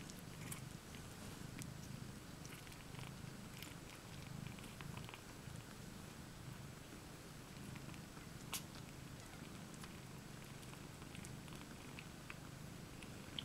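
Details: In a shared basket, the cats IO-KHÔ and LOLLYPOP, two mothers, lie with seven kittens, 20 May 2015; an even, deep purr rumbles on unbroken, with faint scattered clicks and rustles.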